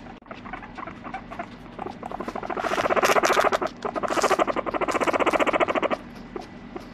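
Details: Pet guinea pig Moru-chan calling with a rapid train of pulsed, harmonic squeaks, about four per second, swelling louder over several seconds, breaking briefly, then resuming before fading; faint tapping and rustling in a quiet room.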